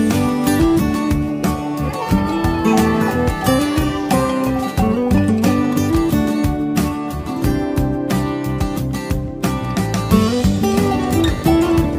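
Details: Upbeat plucked guitar music with rhythmic accompaniment fills the whole stretch; no animal sounds.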